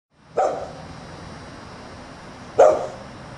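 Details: Dog left outside on a Sunday morning while the family stays indoors, giving two single sharp barks about two seconds apart over a quiet, steady background hum.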